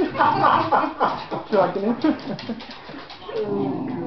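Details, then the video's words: Ten-week-old Lhasa Apso puppy named Louis, being dragged around by a cross Patterdale named Alfie, indoors; rough, throaty growls and grumbles in quick uneven bursts, several per second, with higher whiny yelps mixed in during the tussle. "Puppy Lhasa Apso being drsgged round by my cross Patterdale"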